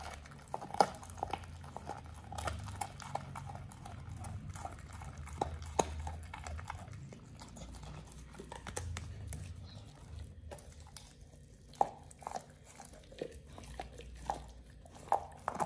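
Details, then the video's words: Oliang, a Pit Bull, gnaws a raw ostrich paw for the first time, indoors. Steady run of crunching, wet bites and clicks with occasional louder snaps and brief pauses. A faint low hum sits underneath. "Oliang the Pit Bull 1st time eats Raw Ostrich PAW [ASMR] BARF | MUKBANG 動物の咀嚼音"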